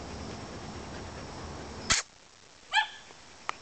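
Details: Dog giving a short, high bark on command, following a sharp click, then a faint tap; quiet room background with earlier low rumble.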